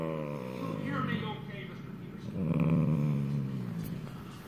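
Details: A sleeping Italian greyhound snoring: two long, low rasping breaths with a rough, rumbling texture, the second louder and swelling in the middle, all held in the deep low range.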